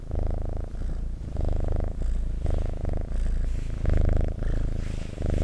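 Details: Loud, close domestic cat purr: deep vibrating rumble in clear phrases, each inhale and exhale roughly every second, in a quiet room.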